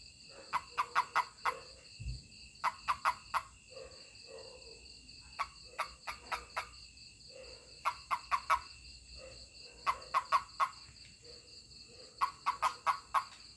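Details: A toad calling as it is touched: short bursts of rapid, rasping chirps near mid pitch, grouped three to five at a time with pauses between groups, over steady high-pitched electronic tones.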